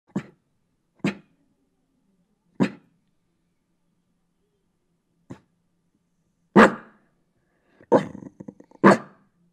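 A Shiba Inu barks to guard its home. Single sharp barks come every second or two, then grow louder and bunch into a rapid string of yaps at the end.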